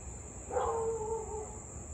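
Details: Siberian Husky barking and howling almost 30 minutes without pause, Louisville, 6:24 pm on 3 August 2021; a single distant mournful howl, sliding slightly downward over about one second, against a continuous shrill insect drone.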